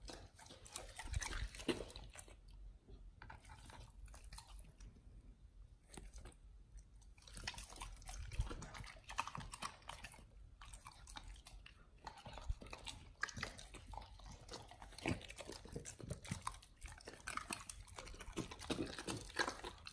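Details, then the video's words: Dogs eating raw chicken breast and duck feet on a raw BARF diet, recorded close up: continuous wet crunching and gnawing with short quiet pauses, irregular clicks and tearing sounds. "Dogs eat RAW Chicken Breast+Duck Feet [ASMR]"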